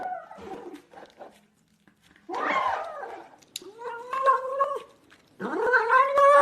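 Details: Cat meowing, one of various cats: short harmonic meows with a rising, wavering tone, some gargling, throaty sounds between calls, and a final loud rising meow, indoors.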